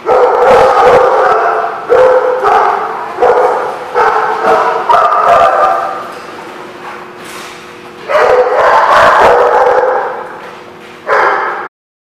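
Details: Chorus of dogs at The Barking Lot on 5 December 2016: rapid, irregular barks and yips pile up, with a drawn-out howl-like note under them and a brief lull before barking surges again.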